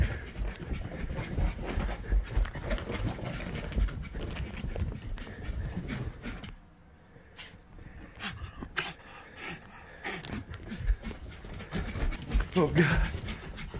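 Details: Jax, a pet Jack Russell Terrier, pants hard while playing, a rapid breathy huffing that fades into a quieter stretch midway, then returns with snorts, rustling and handling noises.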